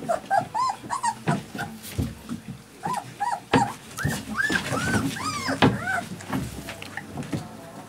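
Alaskan Malamute puppies give a chorus of high, arching whines and yelps, overlapping one another.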